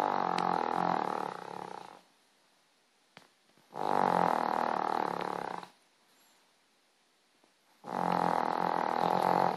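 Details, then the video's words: Dog asleep and snoring, heavy vibrating snores of about two seconds repeating roughly every four seconds, coarse and rasping, with near silence between breaths. "My dog snoring"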